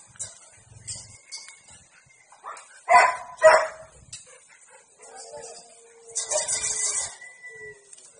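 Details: Siberian Husky during mating at a breeding kennel in District 12: two loud, rough barks half a second apart, then a noisy burst of harsh yelping and a thin sustained whine, among quieter grunts and a high steady hiss.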